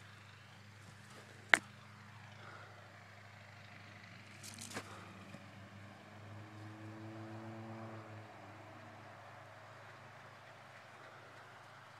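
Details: Quiet outdoor hum with a sharp click, brief scraping and a passing vehicle-like swell, with no animal sounds.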